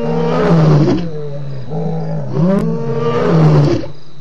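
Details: ['Loud lion roars at Djuma waterhole, 28 October 2016; three deep, moaning pulses with rising-then-falling tone, each lasting under a second and closely spaced.']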